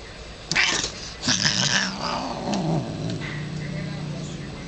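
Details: Moody female house cat attacking after being petted, giving harsh noisy hissing bursts, then a low wavering growling yowl lasting over a second; a person speaks briefly beforehand.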